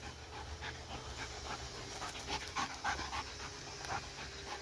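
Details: Dog that never tires, panting quickly while playing with a laser pointer: soft breathy bursts repeated several times a second, rather quiet, with low background rumble throughout.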